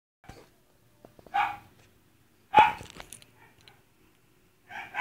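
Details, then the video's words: Dachshund having a static seizure, filmed on a phone, giving scattered short harsh vocal bursts about a second apart, with faint clicks and thumps between them. "dachshund while having static seizure"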